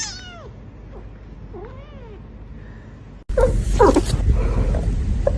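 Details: A kitten gives a high meow that falls steeply, then softer curving mews, before a loud burst of handling noise and rustling takes over.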